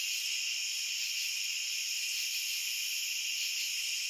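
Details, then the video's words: Dense cricket chorus meant for relaxation: a constant shrill ringing spread over several high bands, holding an even level throughout with no breaks or separate pulses. "Cricket Sounds for Sleep and Relaxation"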